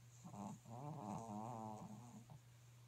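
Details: Pekingese snoring in its sleep: a short series of rattling, nasal snorts merging into a longer wavering snore, all within three seconds, with a low steady hum behind.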